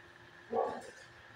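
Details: A Shih Tzu gives one brief, mid-pitched, gravelly howl that rises quickly and trails off, responding to another dog's bark, with only quiet room hum around it.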